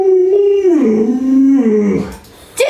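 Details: Alaskan Malamute kept as a pet, indoors in a small room, howling while being offered meat and bones. One drawn-out, slightly wavering moan that slides downward over about two seconds, then a short rising yelp at the end.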